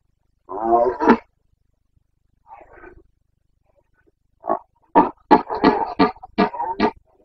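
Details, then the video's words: Carpathian red deer stag roaring during the breeding season in Bucovina's mountain forests, Romania, 29 September 2022 (boncănit): a drawn-out harmonic bellow, then a quieter groan, then a rapid series of short, hoarse grunting barks. "Boncănit / Carpathian stag Breeding season"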